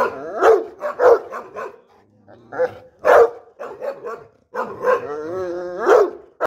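A French Mastiff gives a string of deep, rough barks at uneven intervals.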